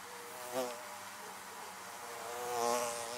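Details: Bees droning around beehives: a close pass near half a second, then an even hum, building to a longer, louder buzzing swell toward the end as bees come nearer.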